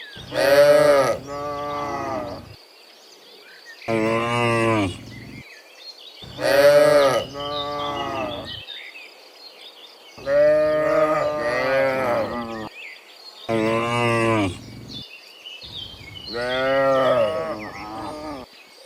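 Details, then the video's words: Many cows calling in the morning on their way from the field back to the barn: frequent overlapping moos, several in quick pairs, some rising and strained, amid background birdsong. "Dozens Funny Cow Sounds in the Morning, Returning from the Field to the Barn, Cow Sounds"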